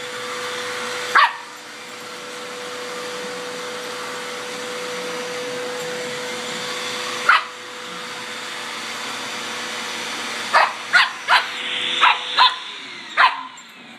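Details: A Border Terrier puppy named Rory, four and a half months old, chases a Hoover around indoors. Two lone yaps are followed by a quick burst of about six barks, all over the vacuum's constant droning hum.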